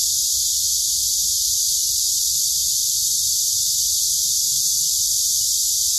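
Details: Cicadas in the urban forest at Daejeon City Hall, Dunsan-dong, Seo-gu, South Korea, on 28 July 2021 fill the air with a steady, high-pitched buzzing drone that never lets up.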